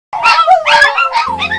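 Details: Pet dogs barking, a quick run of about four short, bright, yelping barks with strong harmonics, each rising then falling, packed into under two seconds with no other sounds.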